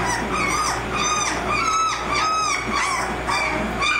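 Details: Eighteen-day-old American Mastiff pups from the Kimi x Viho litter squeal in thin, whistled cries. The cries repeat at a fast, uneven pace, with some rising and some sliding down, and the pups overlap one another.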